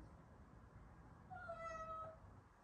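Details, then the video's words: Cat meowing; one clean, tonal meow of nearly a second, held fairly level then dropping at the end, over quiet background rumble. "MIADO DE GATO"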